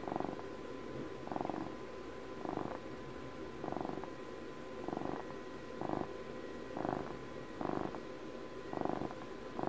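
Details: Domestic cat named Puppy, a house cat marking its 12th birthday, purring up close in a quiet room: steady rumbling purr swelling in pulses roughly every second, with a faint constant electrical hum underneath.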